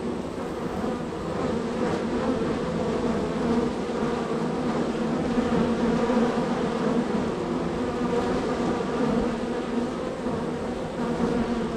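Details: Extremely active honey bee colony at a hive on a row, constant arrivals and departures; thick unbroken humming with several overlapping buzz tones rising and falling.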